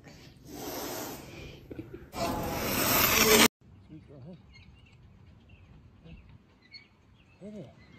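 A serval gives two harsh, breathy hisses, the second louder and longer, followed by brief voiced sounds.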